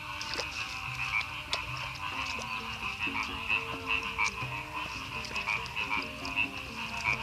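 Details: Rice-field frogs near Madiun in Indonesia calling after heavy overnight rain, a dense chorus of overlapping croaks with rhythmic louder bursts, a shrill continuous trill above and short low hooting notes beneath.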